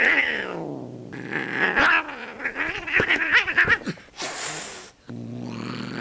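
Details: Rescued stray cat found crouching on an apartment building stairway, possibly lost or abandoned: wavering drawn-out growls and yowls rising and falling in pitch, broken by short gaps and a burst of rustling noise.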